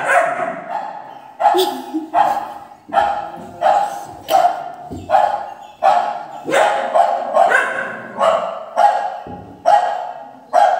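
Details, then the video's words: Three-month-old Doberman puppy responding to fake barking from a speaker: a rapid run of about a dozen clipped barks, some paired, roughly every second, with faint human speech in the background. "fake dog barking sound play on speaker ( dobarman 3 month puppy agrarian)"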